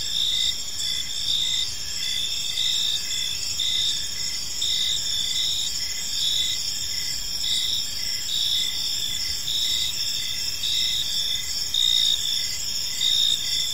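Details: Crickets chirping in a peaceful park in the evening: steady high-pitched trilling layers with a pulsed chirp repeating roughly once a second, many insects overlapping, no other clear sounds.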